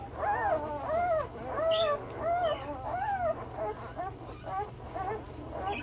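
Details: One-week-old male Belgian Malinois puppies, born 26 September 2021, whimpering: a run of arched, high-pitched squealing cries about once a second, then softer, overlapping squeaks from several pups, with steady background hum.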